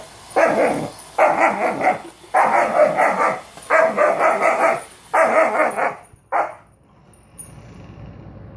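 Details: German Shepherd barking at a robot vacuum cleaner: five rapid bursts of rough, throaty barks about a second apart, then a single short yelp before the room falls quiet with low hum.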